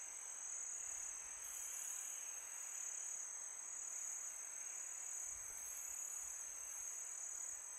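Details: Crickets chirping on a peaceful summer night: a steady, high, shrill trill that never pauses, with a soft broadband wash of wind behind it.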